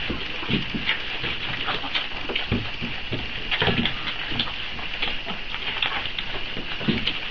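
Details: Four-week-old Boxer puppies waiting for feeding time, hungry: a litter's thin high whines and squeaks overlap in short bursts, carried over a constant busy scuffle and patter of paws indoors.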